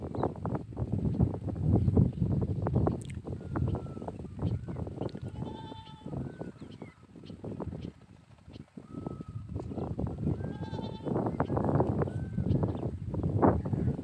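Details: Farm goats, described as fighting, give a few short bleats with clear stacked bands near six and ten seconds. Loud, steady rustling and thumping noise runs throughout.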